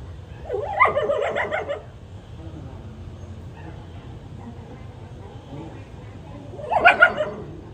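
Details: Newborn puppy, two days old, breast-feeding from its mother; a cluster of squealing, wavering whimpers at the start and another brief burst near the end, with soft low background noise between.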